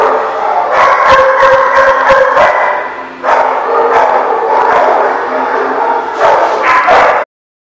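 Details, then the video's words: Dogs at The Barking Lot, recorded 25 May 2018: loud, dense barking and yipping fills the scene almost without pause, several voices overlapping in rapid bursts, a brief dip near three seconds, then abrupt silence at the end. "The Barking Lot"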